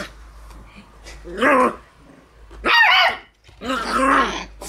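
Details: Shiba Inu puppies, two brothers born 16 September, on their first time in the room while an older young dog born 12 July teases them; three separate rough, harmonic growl-yips about a second apart, in a quiet small room.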